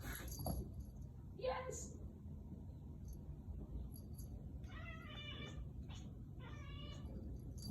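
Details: Kitten named Figaro chasing a laser indoors, making unusual noises it makes only then: after a person talks, two short harmonic chirping calls follow, about a second and a half apart, over a low background hum.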